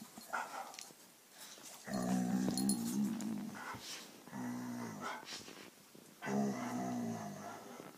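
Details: A Diamond Blue Dalmatian and Bonnie, a King Charles spaniel, growl in three sustained, throaty bouts of about one and a half seconds each, wavering in pitch, separated by quieter gaps with faint scuffling.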